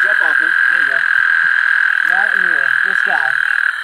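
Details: A male American toad calls at night from a thicket by a San Antonio River tributary in South Texas, a long, steady, high musical trill to attract females amid thousands calling, with a man talking over it.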